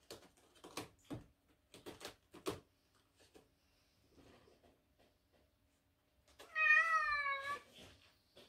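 A Cornish Rex cat gives one clear, drawn-out meow after several sharp knocks and clatters.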